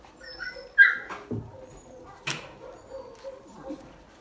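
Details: A dog named Arlo gives a brief, high, thin whine early on, followed by a few sharp clicks and soft thumps over a quiet background.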